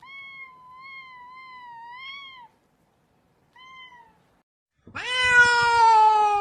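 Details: Domestic cat meowing indoors: a long, steady, slightly wavering mid-pitched meow, then a short quieter one after a pause, and finally a loud, rich, rising meow.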